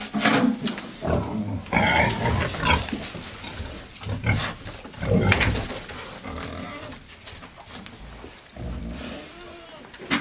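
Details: Several wild boars turning over soil inside a greenhouse give loud, deep, rasping grunts in irregular bursts every second or two, mixed with snuffling, scraping and rustling.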